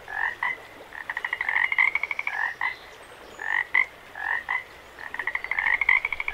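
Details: Frogs croak in rapid pulsed trains of rattling notes, several voices overlapping and repeating every second or so, over the steady hiss of running water at Jacobs Creek.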